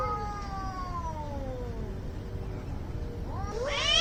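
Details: Fighting cats in an angry standoff: a long yowl slides slowly downward for two seconds, then a sharper, rising, strained howl bursts in at the end, with constant low hum beneath.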